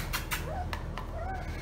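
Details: Female German Shorthaired Pointer puppy named Melba, only days old, indoors: two short, faint whimpers, each rising and then falling slightly, set among soft clicks and handling noises, with a person calling to her nearby.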